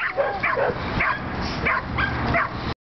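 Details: American pit bull terrier at a club gathering in Juárez, December 2010, while gripping; a run of about six sharp, harmonic barks roughly every half second over a steady background murmur.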